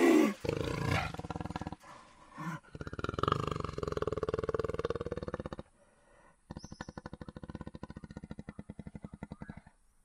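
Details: Jaguar growls: a deep, rough, throaty growl held for several seconds, a brief pause, then a rapid run of rhythmic rasping grunts pulsing steadily until the end.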